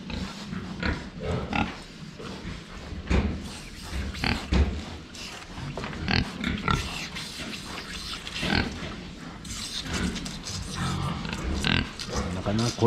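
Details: Several pigs drinking water, recorded from the front at close range: low grunts and snorts recur through the clip, mixed with sharp clicking and splashing drinking noises, with brief bursts of louder snuffling.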